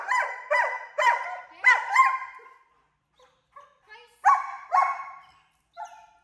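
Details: Captain, a 10-month-old German Shepherd at an off-leash board-and-train program in Georgia, described as extremely vocal, barks in a quick burst of about six sharp harmonic barks, pauses with faint yips, then barks twice more and gives one short final bark.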